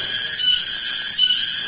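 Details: Several cicadas drone in a loud, steady, high-pitched hiss that never lets up, in the afternoon along a steep rocky road near rice fields in a village in Ciamis, West Java.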